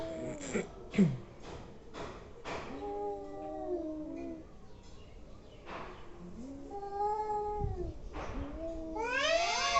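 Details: Angry domestic cats making weird noises: short sharp yelps and spits at first, then drawn-out harmonic wails sliding up and down, ending in a loud rising yowl.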